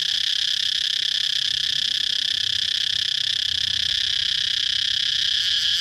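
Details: A cicada's piercing, continuous buzzing whine, constant in pitch and loudness for the whole stretch, with no pauses and nothing else standing out.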